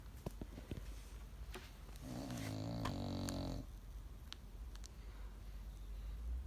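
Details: Bulldog puppy snoring indoors: one long, rough, low rattling snore lasting about a second and a half, with scattered soft clicks and rustles before and after.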